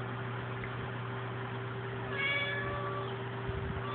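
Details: Female house cat named Krystal calling at the TV for no clear reason; a single sustained, harmonically rich meow lasting under a second, against steady electrical hum and a soft thump near the end.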